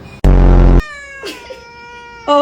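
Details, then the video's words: Bia, a clingy pet cat addressed as a good boy, gives one loud, drawn-out, strongly harmonic cry lasting about half a second. Softer sustained tones and a short second note follow, and a person speaks gently nearby. "A clingy cat"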